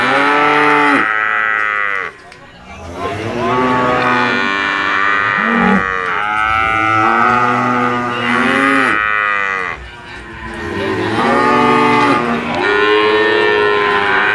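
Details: Brahman bulls bellowing repeatedly, loud drawn-out moos with strong harmonics, each rising and sagging in pitch, about five calls separated by brief pauses, several animals overlapping.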